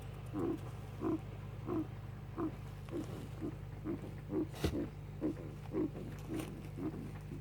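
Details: Four-year-old male pet guinea pig, said to be unwell, makes soft short coughing or sneezing sounds repeated about every half second, over a loud steady low hum with one sharp click midway.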